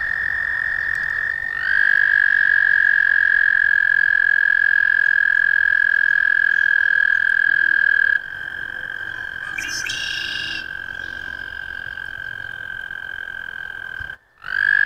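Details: Long, even trill of an American toad, a sustained high buzzing tone lasting many seconds, with other trills overlapping at a nearby pitch and a brief break near the end.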